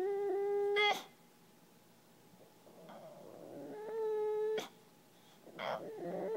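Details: A male English Bulldog gives long, steady, nasal whines, pleading for someone to play frisbee with him.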